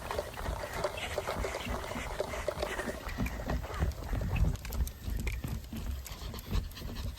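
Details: Elderly mixed-breed dog romping excitedly through an autumn reed field, panting in quick breathy bursts amid crunching steps and rustling stalks, with a steady low rumble of wind underneath.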